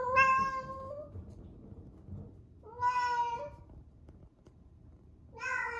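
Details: Female rescued domestic cat, 11 months old, at the peak of her first heat, calling indoors before surgery: loud drawn-out harmonic meows, each about a second long with a slight rising pitch, three calls spaced several seconds apart.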